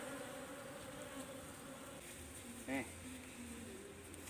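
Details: Nyiruan, the Asian honey bee, buzzing as its colony is removed from a tisuk tree to be boxed; a constant insect drone with a short louder whine or voice burst midway.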